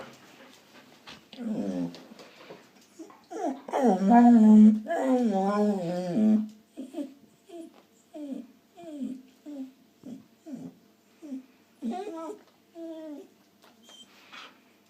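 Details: Four-year-old female Australian Shepherd being silly indoors, making a run of funny noises: a long wavering, warbling howl-like moan in the middle, then a series of short whiny yips and grumbles spaced about a second apart.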